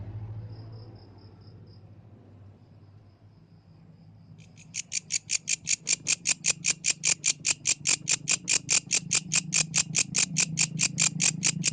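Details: Yellow grasshopper singing at night in the wild: after four quiet seconds with faint high ticking, loud dry buzzy pulses start and repeat steadily, about two to three per second, with a low hum underneath.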